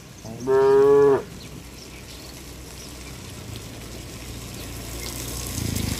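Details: Tame cow among a herd running to the barn in the rain, giving one loud steady moo lasting under a second, rich in harmonics, followed by quiet background with a low rumble near the end.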